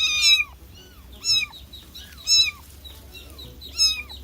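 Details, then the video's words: Kitten meowing, said to be calling to attract other cats: four high, thin mews about a second apart, each a short rising-then-falling cry with bright overtones, over a faint low hum. "Baby cat meowing to attract cats"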